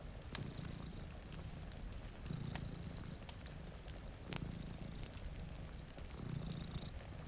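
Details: Deep, throaty purr of two domestic cats sleeping by a rainy window, swelling about every two seconds in four even pulses, backed by pouring rain and intermittent fireplace crackles.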